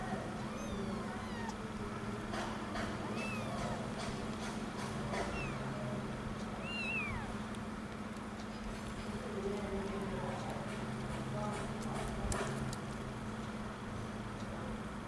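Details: One-week-old kittens looking for their mother's milk: thin, high, squeaky mews, brief and scattered, with one clearer rising-then-falling mew near the middle, over a constant low hum and rustling.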